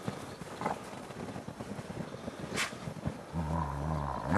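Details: Ambassador gray wolves at the International Wolf Center enjoying fresh snow on 24 December 2008. Rustling and footsteps give way to a deep, steady, harmonic growl-like vocalization lasting about a second near the end, with wind noise behind.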